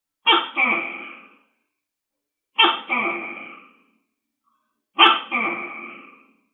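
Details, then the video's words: Large tokay gecko calling in the wild: three loud, harsh two-part barking notes, each a sharp onset followed by a fading second syllable, spaced about 2.3 seconds apart in silence. "Suara Tokek Besar | Big Gecko Sound"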